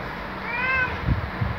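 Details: Greeting on waking from Luna, a black male house cat: one short, clear meow that rises and falls gently over a steady low room hum, followed by two soft thumps.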